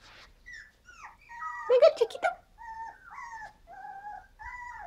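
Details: Five-week-old Havanese puppies from a seven-pup litter whimper in a string of clear, high whines that slide downward and repeat about every half second, broken by a brief burst of a human voice greeting them.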